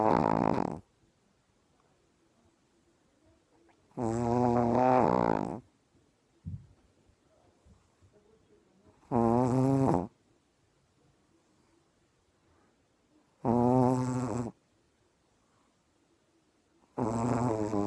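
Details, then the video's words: A dog, up very early and now deeply asleep, snores rhythmically: five loud, rasping, droning snores roughly every four to five seconds, each one to two seconds long, plus a brief snort between, quiet room otherwise. "Пёс храпит"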